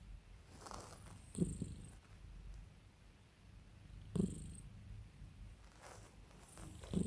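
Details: Domestic cat purring while its owner calms and spoils it; a steady low rumbling purr runs throughout, with brief soft rustling bursts from handling roughly every three seconds.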